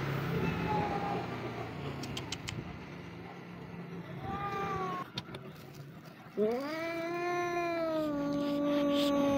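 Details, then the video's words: Stray street cat seeking pampering gives a long, drawn-out meow that rises sharply then holds steady and slowly falls, after softer short mews, with a person speaking and steady background rumble. "When you meet a street cat who wants to be pampered"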